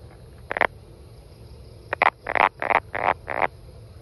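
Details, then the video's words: Brown frog calling: a short croak, a pause, then a run of five rapid harsh croaks, each a brief broadband burst, over low steady background hum. "Brown Frog"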